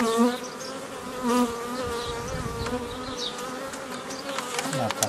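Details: Honey bee colony humming during old-style nucleus formation from an earlier foraging swarm, 15 May 2018; a droning buzz with clear stacked tones that swell and fade, with faint handling sounds.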